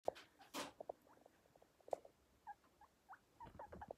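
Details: Baby guinea pig pups roaming free on a sofa, giving short, soft squeaks and chirps scattered irregularly, mixed with patter and rustling from their movement indoors.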